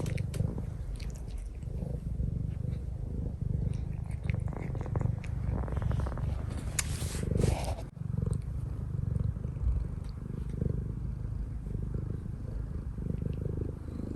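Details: Cuddly domestic cat kneading on its owner's lap, purring steadily in a low throbbing rumble throughout, with some rubbing and rustling sounds around the middle.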